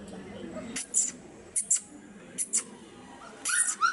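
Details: Black Labrador Retriever puppies in Madurai, Tamil Nadu, India, giving short, sharp yips and whimpers, mostly in quick pairs about a second apart, with a rising whine near the end over a quiet low background hum.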